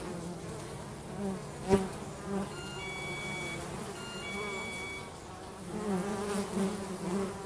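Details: Bees at home while working, a steady many-voiced buzzing hum around 200 and 400 with overlapping wingbeat tones, one loud bee passing close near the two-second mark, and faint thin high tones in the middle.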